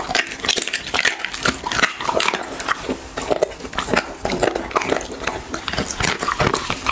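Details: Close ASMR recording of a dog at its food: quick, crisp crunching and clicking bites in uneven bursts, some louder snaps standing out, nothing else audible.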